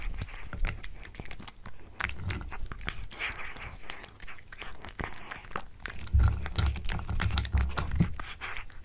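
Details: Pet cat eating a tuna mini stick indoors in a small room: dense, irregular crunching and wet chewing clicks, roughly two bites a second, with soft low thumps throughout.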